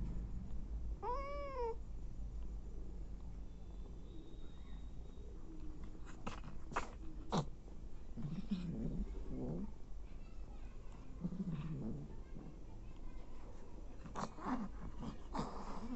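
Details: Nursing mother cat feeding hungry abandoned kittens: a single high, arched mew with rich harmonics early on, then scattered clicks, rustling and low indoor hum through the rest.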